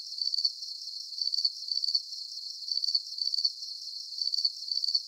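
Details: Relaxing nighttime crickets: bright, high trilled chirps in repeated short bursts, about two a second, fairly regular with slight variation in loudness, clean background and no other voices.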